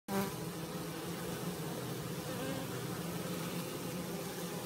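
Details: Western honey bees settling into their new hive at a school hum in a steady, low drone of many wingbeats blending together.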